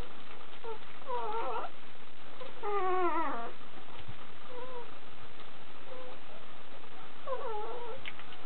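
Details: Kuvasz (puppies) (Canis lupus familiaris), whining.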